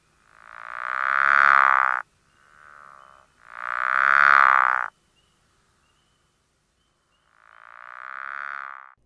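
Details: Pickerel frog, extremely rare in Winnebago County, northern Illinois, calling in early spring with a purring, snoring, door-creak quality: three drawn-out pulsed snores of about one and a half to two seconds each, some louder than others, separated by short pauses.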